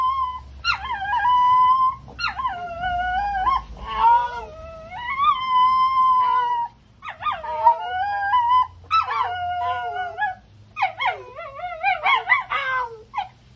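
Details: Dog howling loudly and without stopping, part of a set of ten different dogs: long wavering tones with a rich stack of harmonics, sliding up and down, repeated in drawn-out phrases of one to two seconds separated by short breaths, with a faint low hum beneath.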